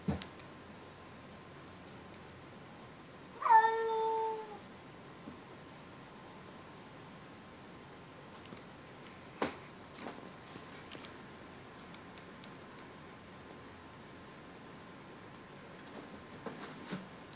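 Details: A single clear, drawn-out meow from the pet cat Riley, defensive toward a neighborhood outdoor cat. The call holds a steady tone for about a second amid long near-silence, with a sharp click later and faint rustles.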